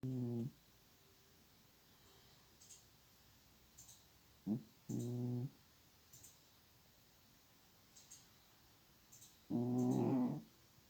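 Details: A pet cat snoring loudly, with rough, buzzy, harmonic-rich breaths in bursts about every four to five seconds, separated by quiet gaps in a small indoor room.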